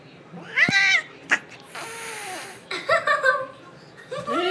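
A Siamese cat gives loud, drawn-out meows with a bending, wavering pitch.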